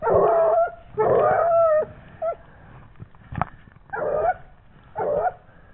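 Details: A 17-month-old Gascon Saintongeois hound working a wild boar scent trail gives loud, resonant bays roughly once a second, each a brief tonal howl with a bending pitch, with a sharp knock in between.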